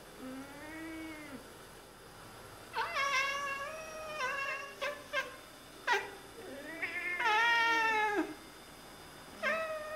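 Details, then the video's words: Two Oriental Siamese cats indoors, talking and chattering to birds; a series of loud, harmonic meows and trills, some rising then falling, others short and clipped, with a long wavering call near the end and a person talking. "Oriental Siamese Cats - Talking to the birds"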